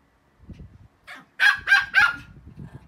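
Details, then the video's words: Playful Pomeranian barking during a romp between small dogs: a short soft yip, then three sharp barks in quick succession about a quarter second apart, with faint scuffling beneath. "pomeranian playtimes include barking and running around"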